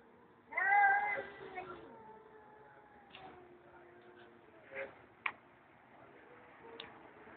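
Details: A stray cat being talked to behind an office building lets out one short, bright meow near the start, followed by faint scattered clicks and low background sounds.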